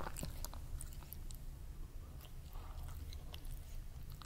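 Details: Kerry the cat eating, recorded close up in ASMR style: quiet, irregular crunches and wet chewing clicks in quick succession over a low, steady room rumble, with no other voices or music.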